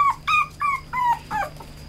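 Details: Red male Toy Poodle giving five short, nasal whimpers in two seconds. Each is high and slightly falling, spaced about a quarter second apart, with a steady faint hum behind.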